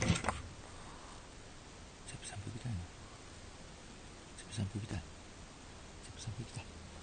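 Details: Pug; whine; asking for the door to be opened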